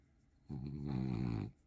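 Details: Bob, a 2-year-old blue French Bulldog, indoors enjoying attention and a head massage; one low, rumbling snore-like grunt lasting about a second, with layered harmonics, in a quiet room.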